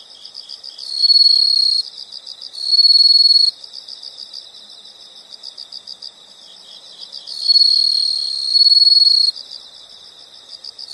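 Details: High insect chirping in a natural setting: constant fast ticking pulses with three loud trilled bursts, two close together early and one longer burst later on.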